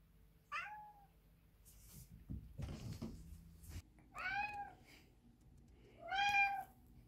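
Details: Simba, a male tabby cat, gives three clear, tonal meows, each a short drawn-out cry a couple of seconds apart, during his bathroom routine, jumping onto the sink and meowing at the mirror.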